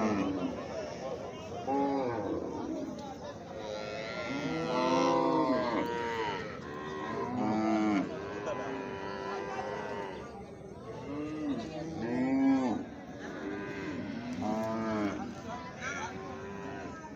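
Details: Baby cows giving repeated drawn-out moos, some long and wavering, others shorter and bleating, arriving every two to three seconds against a noisy background with faint voices.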